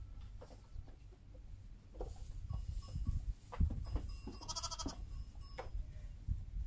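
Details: Heidschnucke ewes with their lambs: a short, thin, high, trembling bleat rises above heavy low rustling, thumping and scattered clicks from the animals moving about.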